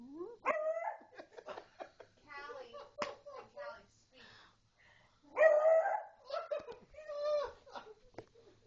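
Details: Jasmine, a pet beagle indoors, barks while a pug named Callie is urged to speak; one loud, drawn-out, harmonic bark-howl stands out midway among repeated spoken commands of "speak" and scattered short voices.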